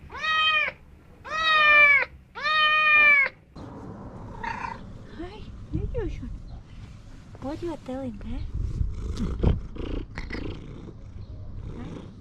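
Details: A domestic cat utters three strong, drawn-out meows in quick succession, followed by quieter mixed sounds, brief higher chirping calls and human speech in the background.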